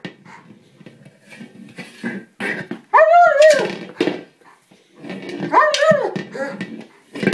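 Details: Male German Shepherd going after a small buoy and getting upset he can't pierce it; mostly muffled chewing and scraping, broken by two arched, wavering whimpers rising and falling in pitch.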